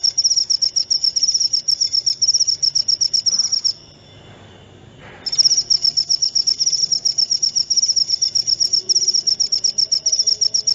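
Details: Shrill cricket chirping of the kind used to drive rats away and as a lure: fast, even high pulses, a break of about a second and a half near the fourth second, then the same quick pulsing resumes to the end.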